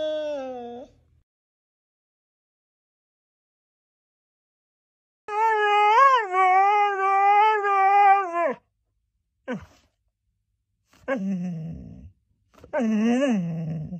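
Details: Siberian Husky being dramatic: after a short moan and a long silence, a three-second warbling, wobbly howl with a pulsing vibrato, followed by a brief squeak and two shorter rising-and-falling grumbling moans.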